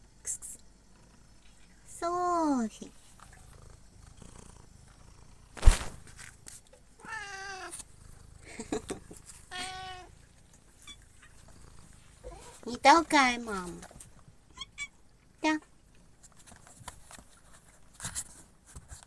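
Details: Domestic cat with several drawn-out, wavering meows that rise then fall, spaced a few seconds apart, plus a sharp knock and short human speech in between.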